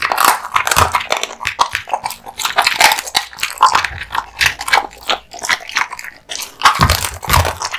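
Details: Male American Bully (Pit Bull) dog indoors eating raw meat and bones, steady crunching and wet chewing in rapid bursts, bones snapping and meat tearing close to the microphone.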